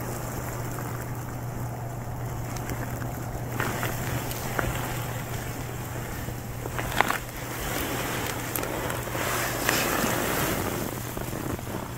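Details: Steady outdoor rumble of vehicles and wind with a constant low hum and occasional faint clicks, but no animal calls.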